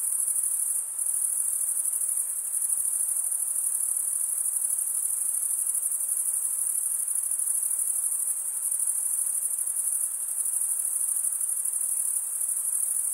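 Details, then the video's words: High, steady stridulation from crickets, a fine shimmering trill of fast pulses with small dips in loudness near the start and middle, otherwise uniform and free of other noises. "cricket sound"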